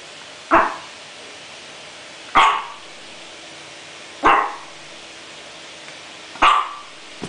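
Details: Chihuahua Coco Chanel, sneezing when unsure what to do, lets out four quick snorting sneezes about every two seconds, each a sharp puff fading quickly, in a quiet room.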